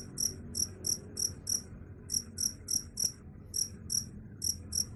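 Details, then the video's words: Cricket chirping, presented as a sound that drives rats away: high shrill pulses in short bursts of several, separated by brief pauses, over a low droning background. "Suara Jangkrik _ Bisa Usir Tikus"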